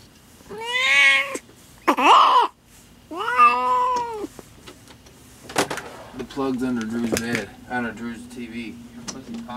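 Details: Cat in labour with her first litter, indoors in a small room: three short, strained meows in quick succession, then a stretch of people talking and rustling with faint murmurs.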